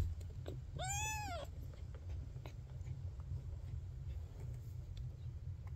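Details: Single clear, arched meow from a young Maine Coon kitten whose eyes have just opened, lasting about half a second, followed by quiet clicks against a steady low hum.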